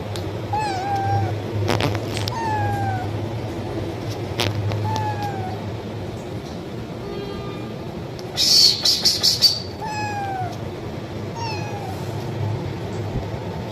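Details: Hungry kitten calling loudly for food with about seven short meows at irregular intervals. A brief clattering, rattling burst comes near the middle, and a constant low hum underlies everything.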